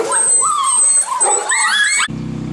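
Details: A swarm of Golden Retriever puppies whimpering and whining: high, wavering and rising whines overlap for about two seconds, climbing in pitch toward the end, before the sound cuts abruptly to a low, steady droning hum.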